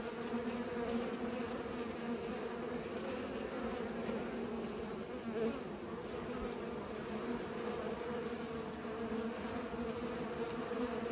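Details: Continuous bee buzz during pollination, a smooth, sustained hum of even pitch with a short dip and swell in the middle.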